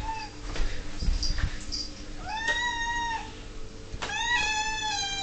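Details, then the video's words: Ming, an 11-year-old female pet cat, whinges for her dinner at six o'clock: a short meow, then a longer rising-falling wail and a third harmonic-rich meow, with indoor clatter and knocks. "Ming is a Whinging Cat!!!!!"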